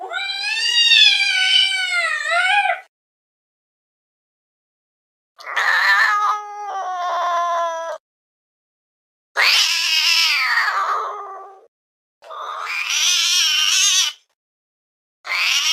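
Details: Domestic cat producing weird sounds: a wavering three-second yowl, a stuttering pulsed growl-like moan, then several harsh, rough wails separated by short silences.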